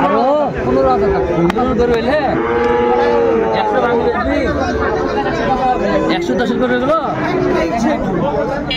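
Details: Sahiwal bull calves at a Dhaka farmer's cattle market purchase on 20 January 2025, lowing in long, drawn-out, overlapping moos that rise and fall, over constant chatter of men bargaining.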